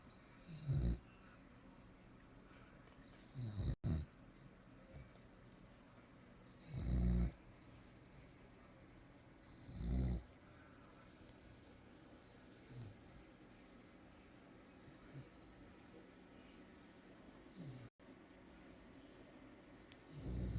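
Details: Snoring from Dara, a female Amstaff (American Staffordshire Terrier), sleeping and snoring a lot: deep, low, rasping breaths roughly every three seconds, some louder than others, over a faint steady background hum.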